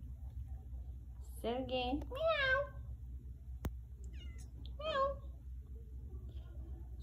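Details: A new kitten on its first day in a home meows while being called indoors: two quick wavering meows back to back, a pause, then a third shorter meow, over low room hum with a sharp click between.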